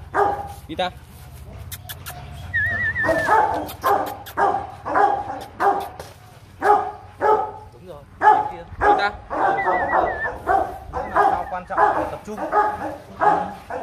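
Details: Rottweiler at the Gervi breeding kennel in Vietnam barks almost continuously. The barks are fast and uneven, mixed with people's speech, clicking noises and occasional chirping whistles.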